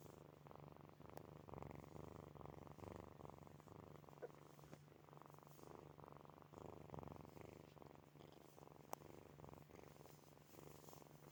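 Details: Sleeping kittens Snowy, Furry and Zoe purring and snoring indoors: steady, fast pulsing low rumble that swells and fades with each breath throughout, over a constant low hum.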